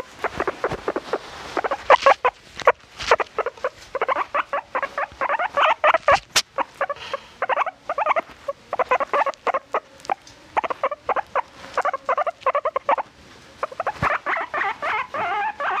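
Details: A domestic guinea pig chattering in a long, busy stream of short clipped squeaks, many per second, with brief pauses and a sharp click near the middle, indoors with little other sound.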